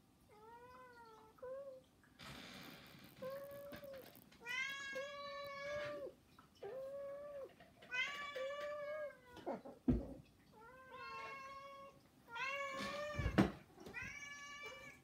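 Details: Three house cats begging insistently: a run of about eight clear, harmonic-rich meows of varied length, some rising then falling, interrupted by several short rustling or thumping noises.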